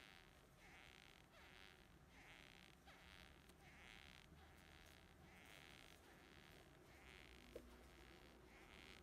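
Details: Male beetle from Japan attempting to mate and failing, giving precursory sounds during the mating attempt: faint, soft buzzy bursts repeated roughly every half second over steady low background hiss.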